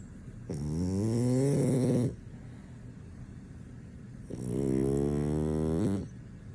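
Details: Deeply sleeping French Bulldog that nothing can wake; two loud, buzzy snores of about one and a half seconds each, pitch sliding slightly, with a quiet breathing gap between.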